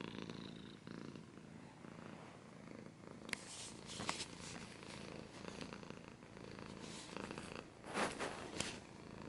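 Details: Quiet, softer purring from a domestic cat, low and continuous, broken by sharp scratching and rustling noises around the third, fourth and eighth seconds.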